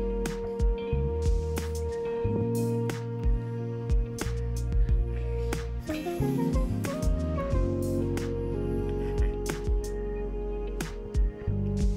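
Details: Gentle instrumental music plays throughout, with plucked notes and soft percussive accents.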